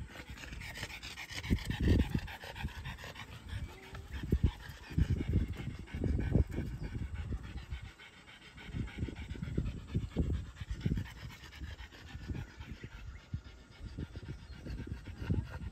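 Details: Panting from French Bulldogs, a parent and offspring, walking at Miharu Dam, Japan: steady rapid huffing breaths, loud bursts clustered in runs with a short lull near the middle, against faint outdoor background.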